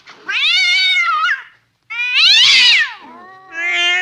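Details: Angry cat giving two long, loud, wavering yowls, rich in harmonics and bending up then down, each over a second long, followed by a lower drawn-out moan and a brief rising wail; quiet indoor setting.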